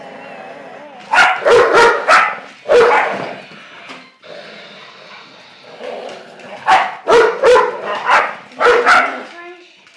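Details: An 11-year-old American Staffordshire Terrier and a new Blue Nose Pit Bull puppy play tug of war. Rapid clusters of sharp barks and growly yips come in two bouts, separated by a quieter stretch with faint voices.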